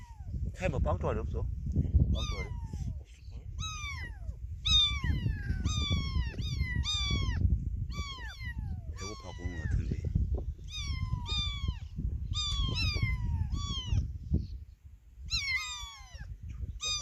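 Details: Orphaned kitten that lost its mother calls insistently: a steady stream of high, downward-sliding mews, roughly one per second, over a constant low rumble with people talking nearby.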